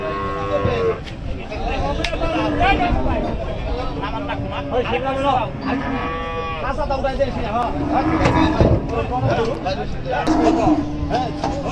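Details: Cattle unloaded from a river side give repeated long moos, some rising then falling, mixed with constant loud voices of many people.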